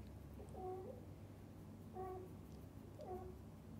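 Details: Mother cat, kittens and a devoted dad cat together as a happy cat family; three brief, clear mews, about a second apart, each with a slight rise then a drop, over low background hum.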